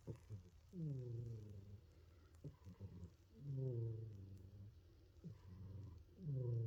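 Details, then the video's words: Snoring from a sleeping cat: a run of short, low, gravelly breaths that dip slightly in pitch, coming in uneven bursts roughly every one to two seconds, with small clicks between them. "Snoring Kitty"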